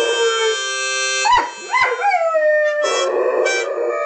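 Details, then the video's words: Pet Doberman singing along to harmonica: steady harmonica chords with a dog's sliding, wavering howls rising and falling between them. "Doberman singing to harmonica"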